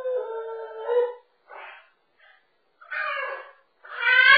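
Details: A French Bulldog puppy caught over a wall divider gives a long, steady whine, then two brief faint whimpers, followed by two louder, higher cries that rise at the end.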